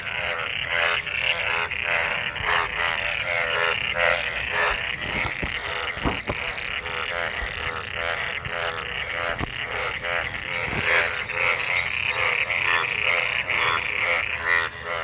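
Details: Mating frogs in monsoon rainwater produce a thick, continuous chorus of rapid harmonic croaks, about two per second, with a few sharp clicks and a brief higher hiss near the end.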